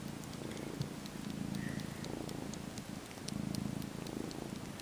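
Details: Domestic kitten, about 12 weeks old, purring while sleepily sucking a faux fur blanket and kneading; low rumbling purr swelling and fading in breath-paced waves, with light ticking rustles.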